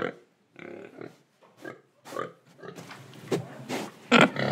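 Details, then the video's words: Pig sounds from Indonesia, with breathing and eating: soft, low snuffling grunts at first, then louder, harsher snorts and a sharp squeal at the close. "Pig Sound Effects Oink Oink, Breathing & Eating"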